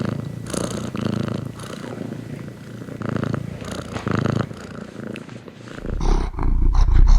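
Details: Cat purr as a low, rhythmic rumble pulsing with inhale and exhale, ending in a louder, deeper burst of close rumbling over the last second.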